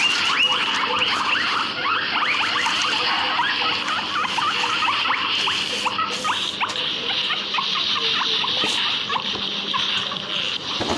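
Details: Guinea pigs in a backyard, giving a dense, continuous run of short rising squeaks, several per second and overlapping, over a steady high hiss throughout.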